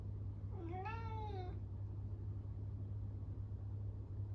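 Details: Lonely Norwegian Forest Cat calling loudly at home once its owner has gone; one clear, long meow with rich harmonics, rising and arching down, followed by a steady low hum.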